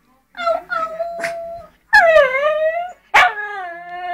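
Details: Shih Tzu dog at home, fed up waiting for chicken, jumps up to the table and howls: three drawn-out tonal howls, the second and third sliding downward, separated by short silent gaps.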